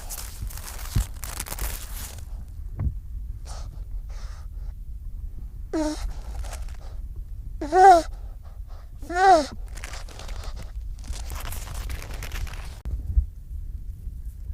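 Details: A baby seal waddles up to the camera and gives a few wavering, nasal calls between soft breathy snorts and sniffs.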